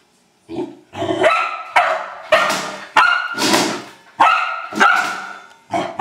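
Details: While having fun with a trash can, an Old English Sheepdog barks loudly and repeatedly, roughly once a second, each bark harsh and ringing with a slightly uneven rhythm.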